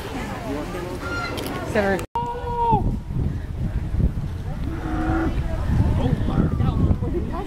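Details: Texas Longhorn cattle recorded on 18 September 2010: moos with a strong harmonic stack, including a short, loud, slightly falling call after a brief cut, plus lower lowing earlier and later, over low rumbling background and some human voices.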